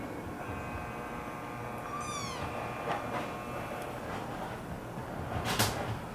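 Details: American Curl kitten giving a single brief, high mew that slides downward around the two-second mark, then quiet indoor room tone with a faint click near the end.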